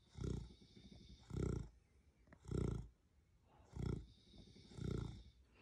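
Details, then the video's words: Deep, throaty snoring from Rocket, a pet beagle sleeping in Australia: five strong, drawn-out rasping breaths spaced just over a second apart, each swelling and fading. "Beagle Dog Snores Very Loud"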